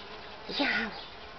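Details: Solitary bee buzzing amid busy activity at a nesting site, a brief swelling hum lasting about half a second, rising and falling in loudness over a low background hiss.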